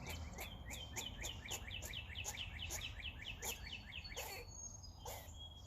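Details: Rooftop squirrel calling as it eats: rapid, evenly spaced chirping notes, roughly two a second, running on for several seconds before breaking into a few scattered louder clicks.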